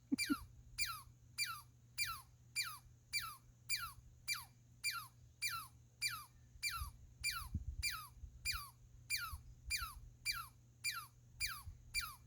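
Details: Squirrel giving a loud squeaky call repeated about every 0.6 seconds, each note a sharp descending sweep from high to lower pitch, steady rhythm throughout, faint low rumble beneath.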